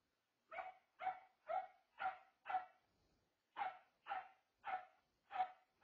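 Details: Newly adopted dogs, Nugget a Corgi/blue heeler mix and Charli a bigger Shepherd mix, heard as a dog barks in a steady run of sharp, mid-pitched woofs about twice a second, with one short pause midway.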